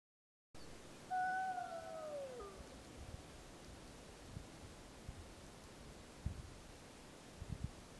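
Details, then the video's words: Gray wolf pup of the Snake River pack howling on July 25, 2012, Summit Ridge area, Wallowa County, during a wolf pup survey: one brief falling howl with a sliding overtone early on, then faint background rustling and soft thumps. "Snake River Wolf Pack Howling"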